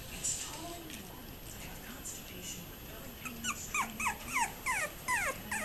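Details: Toy poodle puppies five weeks old, recorded 1-27-21: after a quiet start, a rapid run of short, high, squeaky whimpers and yips, each sliding downward in pitch, crowd the second half over a low background murmur.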